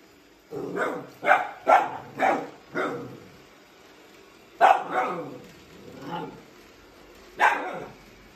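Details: A Siberian Husky puppy reacting to a robot vacuum, chasing it around the house, gives short sharp barks and yips: a quick run of five in the first three seconds, then scattered single barks with brief whining tones between.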